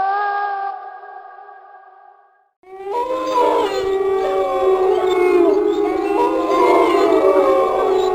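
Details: Wolves howling, from a compilation of different wolves: a lone steady howl fades out, then a dense chorus of several overlapping wavering howls at different pitches starts and continues.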